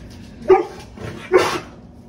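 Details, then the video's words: Golden Retriever named Baymax, thrilled by a new squeaky toy brought home on a Friday grocery run, gives two short excited barks about a second apart indoors, with a soft yip between them. "Getting my golden some Bao and he freaked out"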